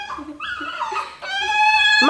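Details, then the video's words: Pet dogs "talking" to their owner: wavering, whining howls, the first ones overlapped by a woman speaking Dutch, then a longer steady howl that rises sharply at the end. "talking dogs"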